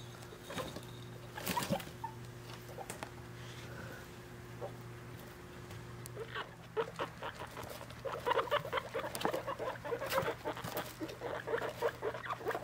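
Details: Three-week-old guinea pig babies with their mother, kept as pets while being weighed: quiet shuffling first, then a run of short, rapid squeaking pulses in the last seconds, over a steady low electrical hum.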